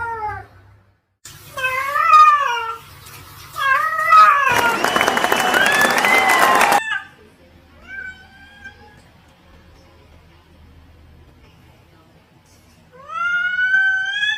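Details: Talking cat giving short, rising-and-falling meows in quick succession, interrupted by a few seconds of loud, harsh broadband noise, then quiet before a final, clear, upward-sweeping meow.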